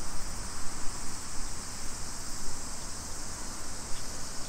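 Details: Cicadas in a Nisshin city street near Nagoya, Japan, on a summer afternoon, 2 PM, 28 July 2021. An unbroken shrill buzzing wash fills the air, with a faint low hum of distant vehicles underneath.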